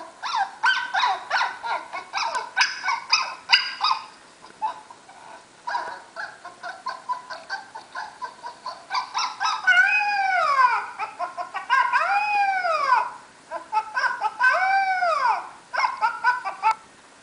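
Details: Puppy reacting while watching another dog on screen, making rapid high whiny yips and barks at first, then arched rising-and-falling whines repeated every couple of seconds.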